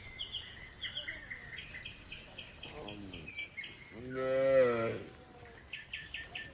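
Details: Village red cow mooing while eating grass contentedly alongside another cow: a short harmonic moo near 3 seconds, then a louder, longer moo around 4 to 5 seconds, with repeated bird chirps throughout.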